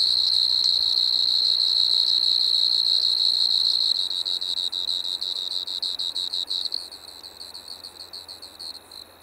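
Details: Striped marsh-cricket (Pteronemobius lineolatus) in Maggia, Switzerland, 1 September 2023: a high continuous trill that turns into rapid pulsed chirps after four seconds, then fades into faster, quieter pulsing near the end.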